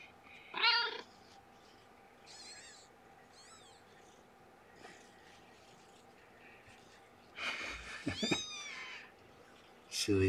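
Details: An abandoned female cat, about two years old and recently a mother, handled indoors under a blanket: several short, soft wavering meows spread across the recording, with a louder rustling burst and a person speaking quietly.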